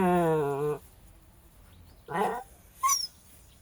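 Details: Jack Russell terrier indoors on a hot day giving a sustained, harmonic whine that bends slightly downward, then two short yelping whimpers about a second apart, a woman talking in Latvian around it.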